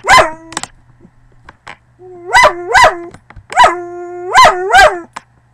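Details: A dog gives a fairly quiet series of baying howl-barks, each a sharp yelping rise that fades into a short moaning tone, repeated in quick pairs, with faint clicks in the background.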